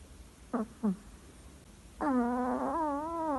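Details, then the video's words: A sleeping Chihuahua named Lolita from Capdepera snores: two short squeaky notes, then a long tonal, nasal whine with wavering pitch lasting over a second, in a quiet indoor room. "chihuahua roncando"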